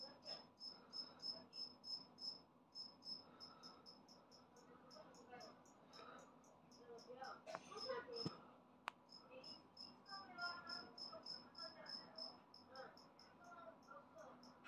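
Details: A two-spotted cricket, freshly moulted into an adult, calls loudly with a steady run of sharp, high-pitched pulsed chirps, roughly three per second, interrupted once by a sharp click and some rustling.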